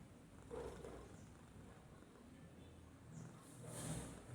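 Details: Babul, a domestic cat, sleeps and does nothing while snoring softly: two breathy, low rumbling swells about three seconds apart over a steady low hum, with faint high chirps in the background.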